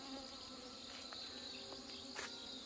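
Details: Honey bees from colonies weakened by hornet attacks and failed mating, being merged and fed in the open; a steady high buzzing hum runs throughout, with a few soft taps and brief rustles.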